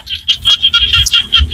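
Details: Small frogs calling in Cambodian rice fields in the evening: a steady high, rapidly pulsed chorus, beating in quick bursts about every fifth of a second, with faint low rumbling underneath.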